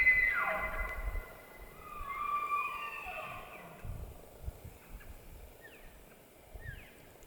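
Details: Elk bugling in the White Mountains of Arizona during the rut: a high whistle that falls and glides, followed by quieter short squeals and low grunts against background rustle.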